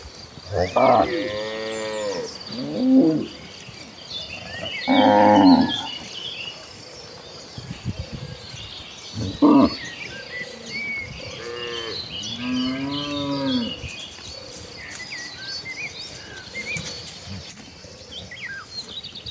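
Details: Tame cattle herd moving toward the fields to feed in the countryside; repeated moos at irregular intervals, some rising and falling, several brief, over chirping birds and light background noise.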